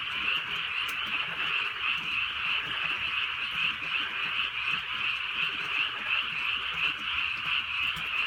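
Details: Frogs in a rural area on a drizzling night, massed croaks blending into a constant high trilling drone with gentle rhythmic swells, light rain faintly audible underneath.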